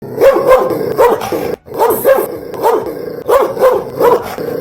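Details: Belgian Malinois dog barking loudly, deep harsh barks given in quick pairs, about six bursts in under five seconds with a brief pause in between, close and dominant.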